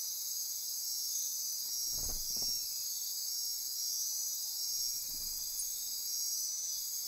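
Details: Nocturnal insect chorus in Costa Rican rainforest on the Osa Peninsula near Corcovado National Park, a continuous high shrill buzz; two soft low thumps or rustles break through near the second and fifth seconds.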